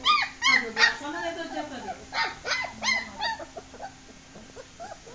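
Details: German Shepherd puppies on the loose let out a run of sharp, rising yelps about three per second. They fade to softer whimpers by the close.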